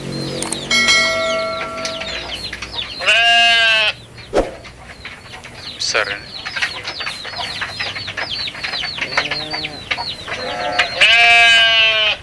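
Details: Goat bleating in two loud, wavering bursts, one early and one near the end, set against constant high, chirpy peeping from other animals and scattered clicks.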